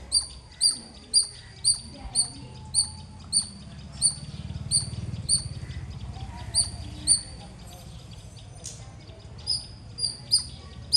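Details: Shrill squirrel chirps come in quick regular runs, about two per second. There is a brief lull midway with a louder low rumble, then the chips resume and continue to the end.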